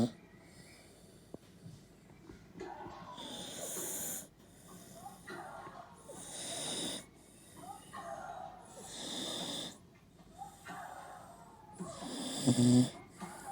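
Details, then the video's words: An 11-year-old Tibetan terrier snoring loudly while asleep, as the 2018 French Open women's final plays on television. Rough, breathy snores come roughly every two to three seconds, with German-language tennis commentary talking underneath. "Snoring Tibet terrier"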